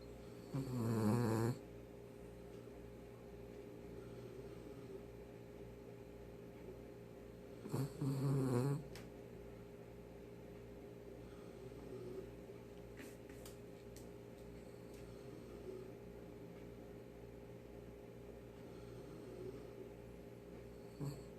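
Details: Sleeping poodle named Daebak, worn out and snoring unusually loudly, filmed up close indoors; low, rumbling snores come roughly every seven seconds, two strong and a fainter one later, over quiet room noise.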